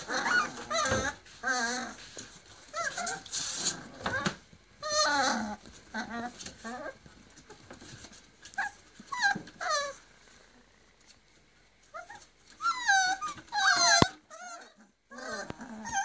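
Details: Forty-day-old Griffon puppies in Cairo, three males and four females, whining repeatedly in quavering, wobbling cries, several overlapping, with short pauses between bursts, in a small indoor room with faint background voices.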